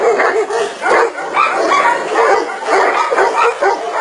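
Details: Tibetan Mastiff giving a run of short, mid-pitched barks and yips, roughly one every second or so, uneven in spacing, with a whining tone between some barks and a steady hiss behind.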